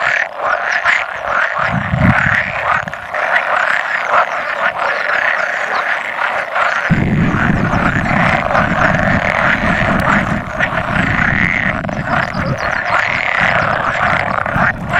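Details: About 100 male pool frogs at spawning, recorded 16 May 2017 with an occasional edible frog among them; a dense, continuous chorus of overlapping rattling croaks, with a low rumbling noise joining midway.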